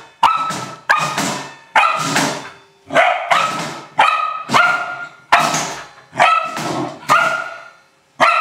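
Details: Barks of an Old English Sheepdog having fun with a trash can: about ten strong, tonal barks spaced under a second apart, each with a clear ringing tone and fading tail.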